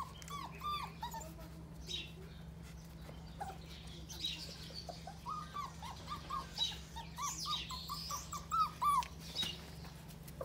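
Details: Six-week-old Pitbull cross Jack Russell terrier puppies give many short, high, squeaky whimpers and whines in quick irregular succession. The calls grow louder and more frequent toward the end, over a steady low hum.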